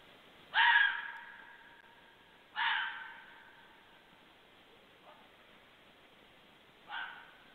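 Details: A red fox (Vulpes vulpes), heard at 23:51 on 2 January, gives short, hoarse barks spaced about two seconds apart.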